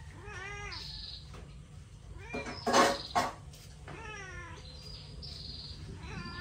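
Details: Hungry cats calling with repeated curved meows, several in quick succession, broken midway by loud clattering bursts, then more meows toward the end over a low background hum.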